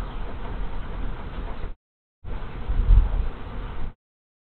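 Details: Honey bee swarm moving into an empty hive on an afternoon of 24 March 2023, after scout bees appeared on the landing board: a low, dense, droning hum in two stretches separated by a short silent gap.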